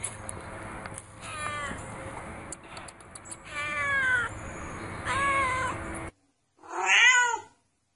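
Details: Cute black kitten mewing repeatedly against a noisy, humming background, the cries growing louder toward the middle. After a brief silence, one last loud, wavering meow ends it.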